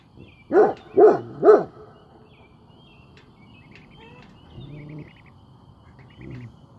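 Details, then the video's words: Great Pyrenees keeping watch lets out three quick, deep, booming barks in a row, followed by quiet with a couple of faint low sounds and soft bird chirps in the background. "Great Pyrenees on watch"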